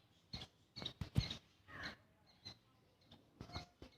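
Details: A small squirrel calling loudly, giving rasping broadband chirps and clicks in short uneven groups, a few brief high squeaky notes among them, with pauses of silence in between.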